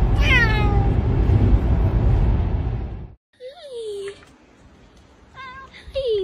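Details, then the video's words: Talking cat: a loud falling whine at the start over background noise, then a woman's voice, followed by two short bent meows later, indoors. "talking cats"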